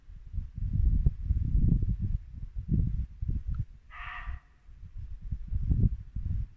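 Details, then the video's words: One brief harsh bark from a muntjac deer at dusk in late-winter Norfolk woodland, rising clearly above continuous low, rumbling brook noise. "Barking muntjac deer"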